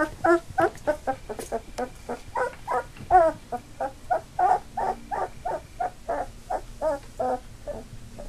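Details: Eight three-week-old Labrador Retriever puppies on the move, eyes open: continuous rapid chorus of short squealing whimpers, roughly three per second, loud and persistent throughout.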